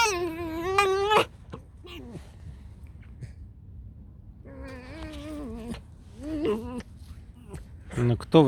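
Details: Alice, a pet fox, indoors in a small room, gives two bursts of wavering, high whining squeaks with strong harmonics. Quieter broken chirps and a human voice fall between them.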